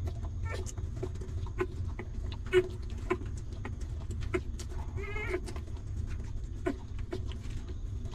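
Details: Newborn puppy feeding from its stray mother, hungry and suckling; scattered clicking and smacking noises, a faint squeak early on, and one clear, brief, tonal whine past the midpoint, over steady low background hum.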